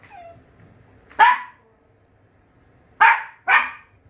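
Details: Dachshund indoors barking at a visitor who came to repair the house: a single sharp bark, then two more close together about half a second apart, with a quiet room behind.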